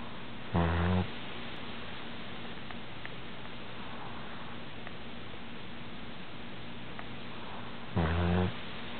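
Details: Sleeping cat snoring: two short, low, pulsing rattly breaths, one near the start and another about seven seconds later, with quiet steady hiss in between.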